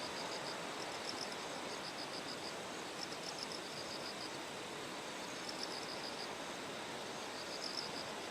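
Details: Bell cricket chorus beside terraced paddies fed by a clear stream in Kikuchi, Kumamoto Prefecture, Japan, recorded on the morning of September 6 ahead of Typhoon No. 10. Bright, high pulsed trills recur in several bursts above loud rushing water.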